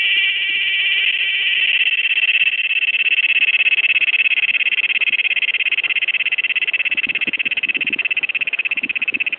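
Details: Cicada recorded August 26, 2007, 16:15, sings a steady shrill droning buzz that swells slightly early on, then turns into fast, even throbbing pulses toward the end, with faint low rustles underneath.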